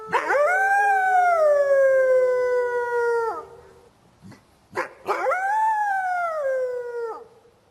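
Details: A gray wolf in a forest gives two long howls, each swooping up and then sliding slowly down in pitch.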